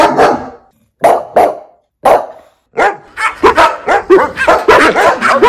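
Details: Dog from a fifteen-breed barking compilation: three separate deep barks with pauses, then a fast, continuous volley of barks in the last half of the recording.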